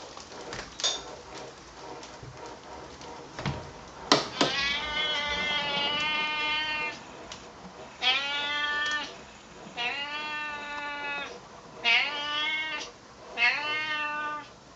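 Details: Friendly, talkative male Siamese cat chatting with a neighbour: a run of long, drawn-out harmonic meows, several held about a second with a wavering pitch, after earlier short sounds and a sharp click, with a person's voice faint in the background.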